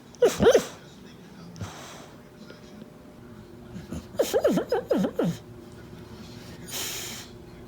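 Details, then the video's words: Female pit bull whimpering while dreaming in her sleep: an opening pair of quick arched whines, a pause, then a run of about five rapid rising-and-falling squeaky yelps, followed by a soft breathy puff against faint room hum. "Weird dreams,Weird Sounds || Caught on Camera || funny video of pittie"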